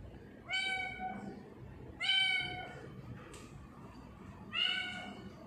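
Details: Pet tortoiseshell cat Sia at home in Japan, recorded on 21 October 2019, calls three times with bright, steady, harmonic meows roughly two seconds apart, each about half a second long, over a faint room hum.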